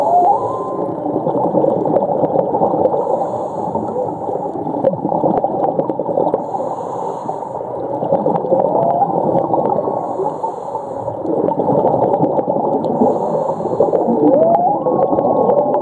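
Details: Whale underwater at Ningaloo Reef, Western Australia: a low, continuous moaning band with short rising whistled sweeps near the start and again near the end, over steady bubbling, gurgling water noise and faint clicks.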